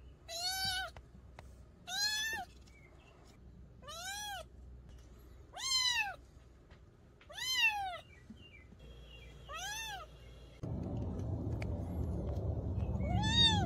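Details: Young mountain-village kitten meowing in the countryside: loud, clear arched meows rising then falling, repeated about every two seconds, seven in all, with a steady broadband hiss filling the final seconds.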